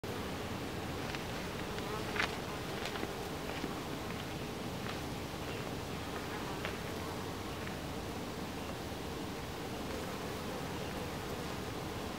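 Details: Honey bees at a hive entrance, a steady low droning hum of many wings with brief higher whines from individual bees passing close.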